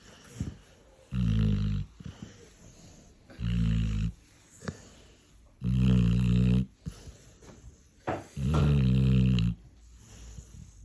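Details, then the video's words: A Labrador snoring while awake, long low rasping snores each lasting about a second, repeated roughly every two to two and a half seconds, with quieter breathing between in a small indoor room. "Labrador schnarcht , wach"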